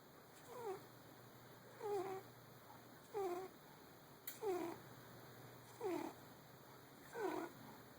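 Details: A sleeping cat named Fiona, dreaming as she snores; each breath gives a short nasal snore sliding downward in pitch, recurring steadily about every 1.3 seconds against near silence.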